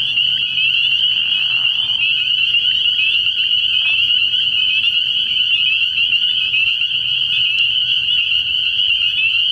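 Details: Spring peepers at a nighttime frog pond early in the year form a constant shrill high chorus of overlapping peeps, steady throughout, over a soft low background drone.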